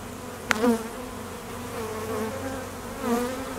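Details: Honey bee foragers and drones flying around an apiary during peak summer nectar flow at midday; close bees pass by with buzzes that swell and bend in pitch over a constant background hum, and there is a sharp click early on.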